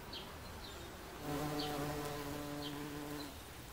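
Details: Bumblebee on a daisy: a steady, low droning buzz rises in the middle and holds for about two seconds before fading, with a few brief high chirps in the background.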